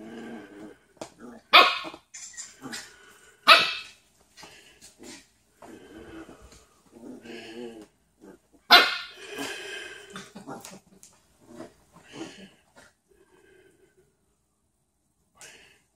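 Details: Corgi in the United States wanting his bed back, letting out several sharp barks and growly yelps at irregular intervals, mixed with softer whines and rustling, then falling quiet.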